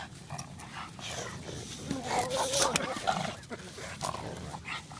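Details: Barney the pug making weird noises while playing with Sunny the boxer: rough, breathy snorts and grunts with occasional whiny squeaks, coming in irregular bursts against a noisy room background.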